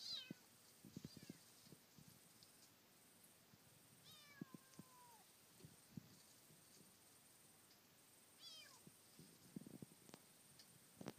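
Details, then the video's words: Kitten encountered while circling Teshima island, calling with a few falling meows spaced several seconds apart over a steady high hiss and scattered rustling knocks. "子猫 鳴き声"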